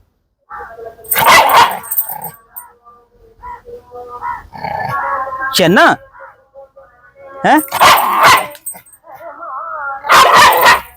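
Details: A playful pet dog in a dog challenge lets out scattered loud barks and one rising yelp over about eleven seconds, mixed with a man talking in Malayalam between the calls.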